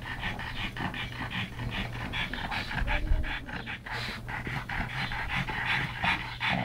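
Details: Pugs Yogi and Mister, brothers rescued from a Maltese SPCA cage, play-wrestling with fast rhythmic panting, rough breathy pulses nearly three per second, steady throughout with brief snuffles.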